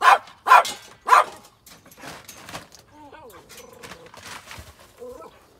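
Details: Irish Terrier with another dog named Skippy, hunting for a mouse: three loud sharp barks in quick succession, then softer whines and yips with some human voice in the background.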